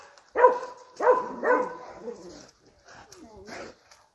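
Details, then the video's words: Domestic Dobermann on guard duty at home, barking: three strong, gruff barks about half a second apart, followed by softer, whining, lower-level sounds toward the end. "Dobermann home protection. Dobermann guardia in casa"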